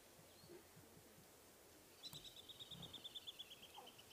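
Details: Squirrels give an alarm, a fast run of sharp, high chipping notes, about six a second, as lionesses nearby move into hunting mode on an August 3 sunrise safari drive in African bush.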